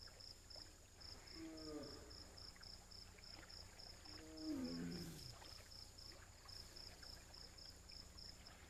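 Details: A female royal Bengal tiger in heat in a muddy tidal mangrove landscape announces her condition with two soft, moaning contact calls that slide downward, over a steady high pulsing buzz.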